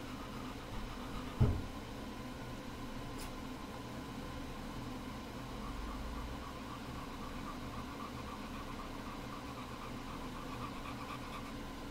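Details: Steady low hum like an idling engine or fan fills a small room, broken once by a sharp knock near the start, with no animal voice.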